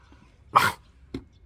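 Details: A French bulldog indoors barks once in a short, harsh burst while arguing with its owner over coffee, followed by a softer grunt; a man's voice speaks right after.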